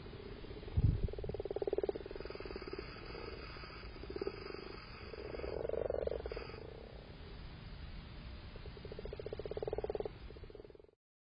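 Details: Several male frogs calling during spawning on 7 March, with a pair in amplexus: repeated low rattling croaks in swelling overlapping bursts, a brief low thump near the start.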